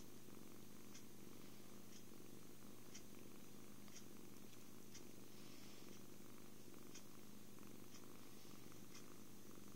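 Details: Contented kitten purring while cuddled, fed and sleeping, a deep unbroken rumbling drone with light ticking sounds roughly every second in a quiet room.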